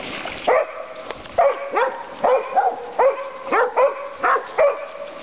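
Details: Dokota, a female dog at Board's Crossing on the Stanislaus River, California, barks repeatedly on Father's Day; about nine tonal, slightly yelping barks in five seconds, some in close pairs, with a steady hiss behind.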